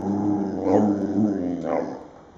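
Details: Domestic dog "talking": a moaning, growly vocalization that swells twice in rich harmonic bursts about a second apart, then fades into quiet room sound.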